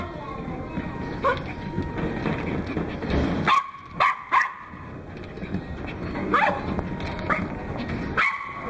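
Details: Pembroke Welsh Corgi puppy from Fukushima, recorded 31 May 2011, giving short, sharp yipping barks in small bursts, a pair midway and single yips later, irregularly spaced over a steady background hum and human voices.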